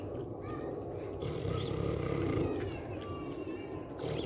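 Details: Pig eating and snoring: a steady stream of low, rough, pulsing grunts, rising and falling in loudness, with faint higher squeaks above.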